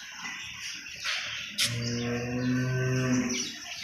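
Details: Cattle at a commercial farm holding hundreds of animals: a single deep, steady moo of about a second and a half, low and evenly toned, while people nearby discuss prices and background clatter continues.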